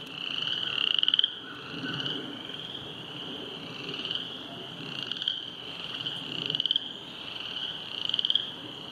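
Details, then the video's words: Frogs croaking beside the flooded Silver Creek trail after heavy rain: a steady high trilling chorus swelling into louder pulsed bursts about every one to two seconds, with faint low background rumble. "silver creek trail flooding, with frogs croaking"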